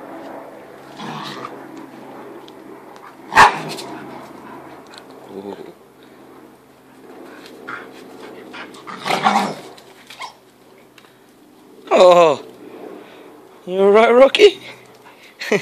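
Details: Two American Staffordshire Terriers, an older dog and a five-month-old puppy, play rough tug of war. Scattered growls, then two strained, wavering whining cries near the end, with a man's voice and laughter in between.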